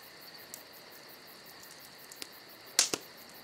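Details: High, even cricket trilling on a summer night, pulsing rapidly and without pause, interrupted near the end by a loud double crack from a crackling fire.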